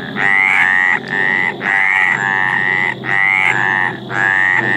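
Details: Mediterranean tree frog calling in courtship: a continuous chain of loud, buzzy, harmonic croaks, each a two-part rasping note of about half a second, following one another almost without pause, over faint background noise.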